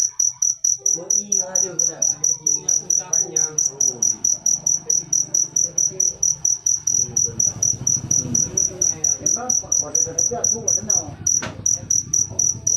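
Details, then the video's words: Persistent shrill chirping from a cricket, short evenly spaced pulses about two per second, with a brief break near the end and low background voices and hum. "Full suara Jangkrik manis. Suara merdu"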